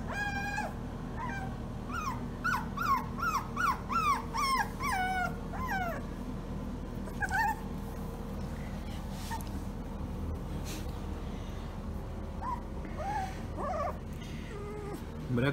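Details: Days-old German Shorthaired Pointer puppies yelp and whimper in a quick run of rising, wavering cries for about six seconds. Scattered softer whines follow over a steady low background hum.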